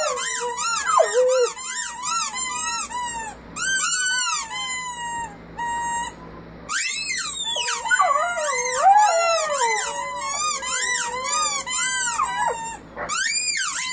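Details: A family of puppies howling in chorus: many overlapping high, quavering howls that rise and fall, a few single drawn-out notes near the middle, then the full group chorus resumes.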